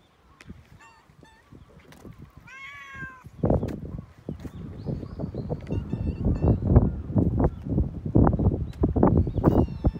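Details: Cat being stroked, with one clear, slightly wavering meow early, followed by continuous thumping and rustling from petting and handling, and a few faint high squeaks.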